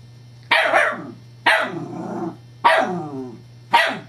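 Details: Scottish Terrier bitch excitedly playing with a rolling teething pacifier toy, July 2011: four loud, harsh barks spaced about one second apart, each ending in a rough growly tail, steady low hum behind.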